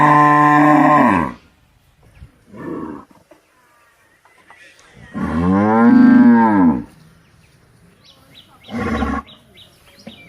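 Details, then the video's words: Cow bellowing repeatedly: an opening moo, a short grunt, a long arching moo that rises then falls over two seconds, and a brief final low call. "गाय की आवाज"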